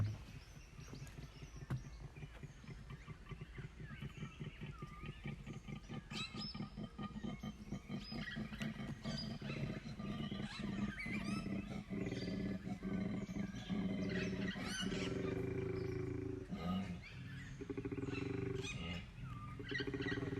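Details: Wild koala in Belair National Park, South Australia, giving a rarely heard call; a continuous deep, rapidly pulsing, grunting bellow with snoring-like rattle throughout, a brief break near the end, outdoor background noise.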